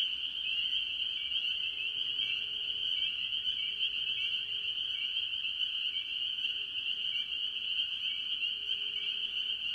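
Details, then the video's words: Spring peepers dominate a mixed tree frog chorus at an early-year farm pond, producing a dense, relentless high peeping that holds steady for the full stretch, with quieter lower calls mixed in. "Relaxing Tree Frog Sounds - Spring Peepers"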